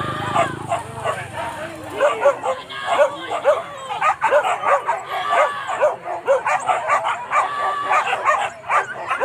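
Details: Hunting dogs on a wild boar hunt at Kayu Ampek, Tanjung Emas subdistrict, Tanah Datar regency: a dense overlapping chorus of excited barks and yips from several dogs, with human voices mixed in.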